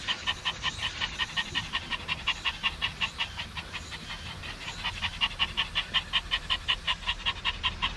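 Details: Maltese dog at Dolmeori beach by the sea in Korea, one of three Maltese out together, panting hard: quick, even, raspy breaths close to three per second, steady throughout with no other clear sounds.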